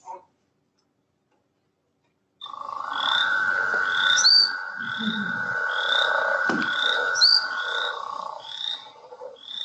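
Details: Male frogs in a breeding chorus, late evening, heard from porches to high mountain meadows: a continuous mid-pitched trill beneath bright, clipped chirps repeated several times a second; breeding calls that are an early sign of spring.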